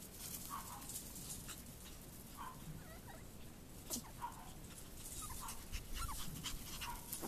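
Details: Chihuahua puppies playing outdoors on a warm February day; faint short whimpering yips, each a brief nasal squeak, come every second or two over a steady hiss of outdoor background noise.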